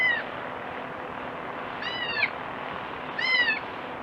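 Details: Goat kid crying in three short, high, quavering bleats about 1.5 seconds apart, each bending slightly down at the end, set against steady background hiss.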